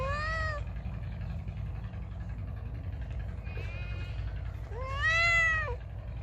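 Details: Feral cat meowing loudly: a short falling meow at the start, a faint one midway, then a longer rising-and-falling meow near the end, over a steady low rumble.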